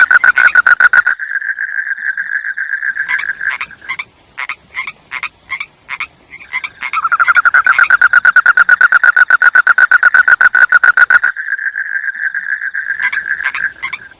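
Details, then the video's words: Frog croaks loud and close, alternating between long rapid series of rasping pulses, smoother sustained trills and scattered single croaks with short pauses between. "SUARA KODOK | SUARA BINATANG | SUARA KATAK"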